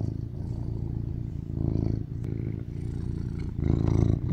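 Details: BabyCharlie, a rescued male tuxedo cat born in 2019, purrs while lying on top of his owner, craving cuddles. A deep, steady, rumbling purr swells louder near the second and fourth seconds, with one brief click.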